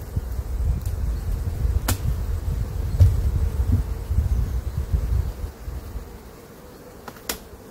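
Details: Honey bees disturbed while their honey supers are lifted during a spring honey harvest on a cold day, droning as a deep, wavering low hum that swells and fades, with a few sharp knocks of hive equipment.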